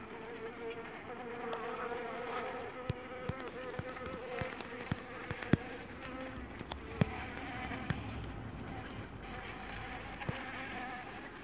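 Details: Strong Jandaíra stingless bee colony buzzing softly. The even drone holds a low tone, with irregular clicks and knocks standing out against it.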